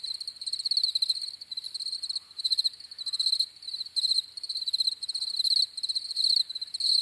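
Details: Several crickets chirping in a nearly continuous, high, pulsing trill that swells and dips in loudness, with brief breaks; a faint overtone rides above; no other noises.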